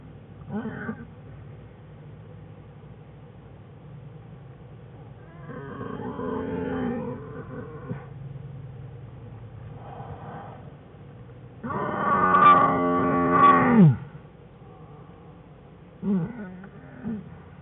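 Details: American black bear cubs Fern and Herbie whining in their den beside sleeping mother Jewel on January 5, 2013; scattered short harmonic whines build to a loud, wavering two-second cry near the end, then a brief squeal.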